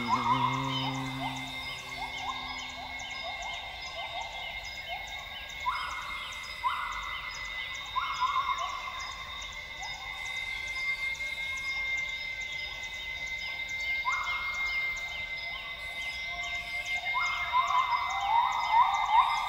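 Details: Northern grey gibbons at dawn in Tawau Hills Park, Sabah, Borneo. Low hoots open the passage, then whoops repeat every second or so, with rising bubbly flourishes near the end, under a continuous high-pitched insect chorus.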